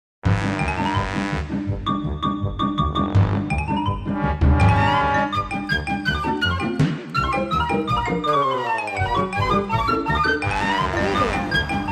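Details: Bright chiming music with marimba and bell-like tones plays throughout, and no animal sound is heard.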